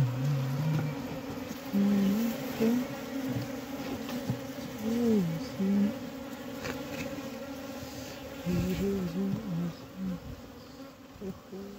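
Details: Honey bees buzzing at a diseased hive in Humla, Nepal, with dead bees inside; a continuous low hum carrying short wavering tonal bursts that come and go, and faint human voices.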